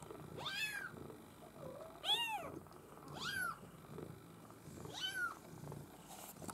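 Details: Young Maine Coon kittens from a breeder's U litter, four clear arched mews spaced about a second apart with quieter rustling between them.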